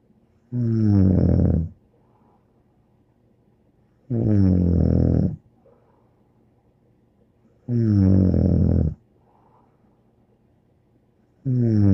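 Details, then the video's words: Snoring dog named Bear: regular, rough, low-pitched snores about every three and a half seconds, each a second or more long, with light breathing sounds between them in a quiet indoor space. "More angel Bear Snoring"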